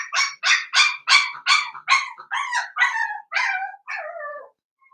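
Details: Blenheim Cavalier King Charles Spaniel puppies, a litter of five, in an indoor puppy pen. About ten shrill yips run evenly, then slide lower into a drawn-out, falling whine that fades away.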